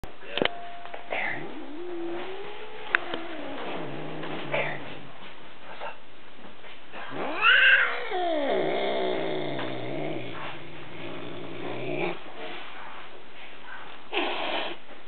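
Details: Domestic cat that means well but sounds evil, giving long drawn-out yowls whose pitch swells and sags, several moaning wavering calls across fifteen seconds separated by quieter low rumbling stretches.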